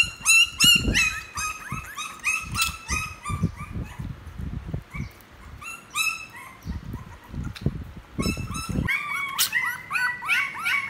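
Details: Puppy at play giving a run of high, thin whines and squeaky yelps, several per second in bursts with short pauses, over soft low thumps and rustling.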